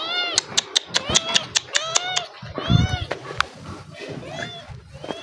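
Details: Hungry, restless kittens running to a person they befriended, giving a rapid string of short, sharp mews about every fifth of a second, then longer wavering cries, with a man speaking and calling over them.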